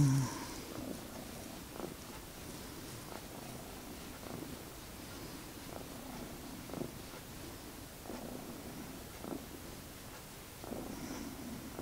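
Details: Domestic cat purring indoors, one of the pet cats named Magic and Sooty: a steady low rumbling purr with rhythmic breathing pulses about every one to one and a half seconds, quiet room, no other sounds.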